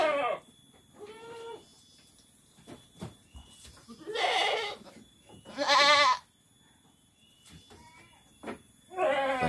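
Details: Goats on a village farm in Muncang, Sodonghilir, where three does gave birth on the same day; several short wavering bleats of varying pitch at intervals, with quiet gaps and a clatter between calls.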